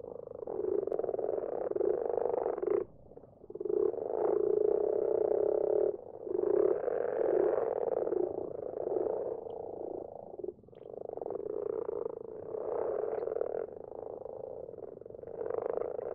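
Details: Night chorus of common frogs in a garden pond: many overlapping low, rattling purrs in bursts of several seconds, separated by brief near-silent gaps around three and ten seconds.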